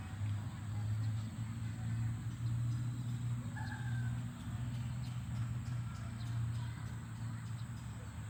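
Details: Cows running home to the barn on a farm give deep, drawn-out lowing moos that swell and fade, one after another.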